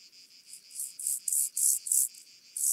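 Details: Steppengrashüpfer (Chorthippus vagans) recorded at Mörnsheim, Germany, 14 July 2023; a series of short, high buzzy pulses of uneven length, louder toward the middle and end, with faint background noise.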